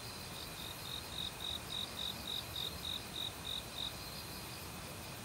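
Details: Forest cricket in autumn, calling with many other insects near a valley stream: around eleven crisp high chirps in a regular series, each roughly a third of a second apart, over a constant hiss of running water.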